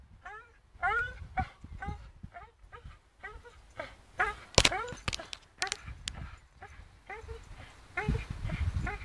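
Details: Charlie, a Staffordshire Bull Terrier, swinging on a rope, gives a long series of short, high, rising-and-falling whines roughly every half second, with bumps, thuds and rustling between them.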